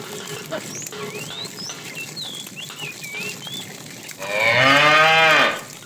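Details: A fat cow among a tame herd driven along in the afternoon calls the female with a single loud, harmonic, slightly bending moo late on, after a stretch of soft birdsong and background hiss.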